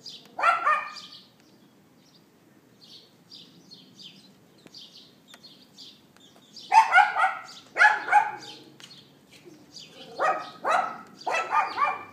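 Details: Barking of a neighbour's dog kept outside, captured by iPhone 4S late morning on April 18th 2012: one bark opens, then a cluster of five sharp yaps follows after a quiet stretch filled with high bird chirps.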